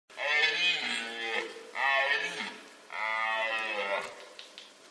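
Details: A red deer in the White Carpathians, 2021, gives three deep, harmonic-rich bellowing calls, each lasting about a second.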